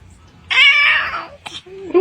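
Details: Domestic cat indoors letting out a loud, strained, wavering yowl lasting under a second, then a short noisy burst and a rising squeak, with people talking nearby.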